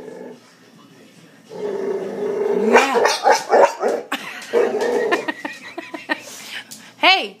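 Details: Pet Boxer dog indoors, a pup that had kennel cough and now has a hiccup-like bark, growling low and rough, then breaking into short choppy barks, with a person talking and urging it to bark.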